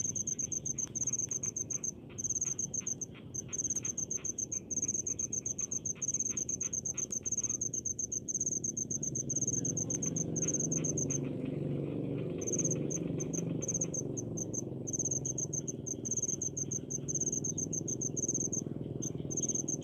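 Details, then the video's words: A rice-field cricket gives a fast, high, pulsed chirping that breaks off midway and resumes, while a louder low rumbling background builds in the second half. "SUARA JANGKRIK DI PESAWAHAN"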